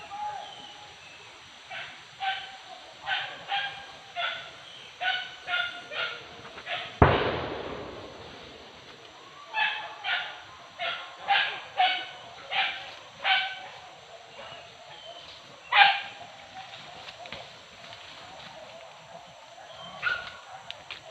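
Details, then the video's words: Hunting dogs barking while chasing wild boar in Sicincin, Padang Pariaman, West Sumatra; short sharp barks repeat steadily in a series, one loud thump near the middle, distant and slightly muffled. "Badendang dendang salak anjiang di buruan tarok sicincin"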